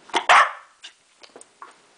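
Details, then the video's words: Enzo, a pet dog performing tricks, gives a quick double bark on command. Faint household sounds follow. "Enzo speaking"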